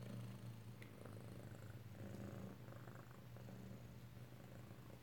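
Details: Close-up purring of a kitten indoors in Alabama, 7 February 2018: deep, even rumble pulsing with each breath in and out, steady and uninterrupted, with only faint room noise behind it.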